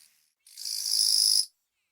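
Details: Western Japanese katydid, the bush cricket of western Japan: a single harsh, buzzy burst lasting about one second that swells quickly and then cuts off sharply. No other sounds are heard around it.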